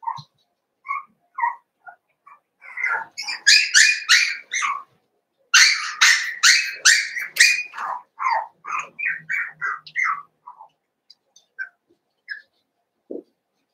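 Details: Merged litters of Cavalier King Charles Spaniel pups, eight in all, at play: scattered squeaky whines build into a fast, loud burst of shrill yips and small barks, then taper back to sparse whimpers.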